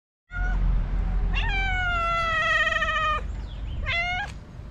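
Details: Stray cat met early in the morning in Morocco, asking for food: two long, clear, harmonic meows, the first steady and slightly falling, then a short rising-falling pair, over a low street rumble.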